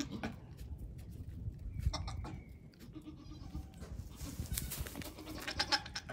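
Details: Young goat kids, one day to one week old, on a farm where fifteen have been born; short harmonic bleats near two seconds and again near the end, over steady low rumble and shuffling noise.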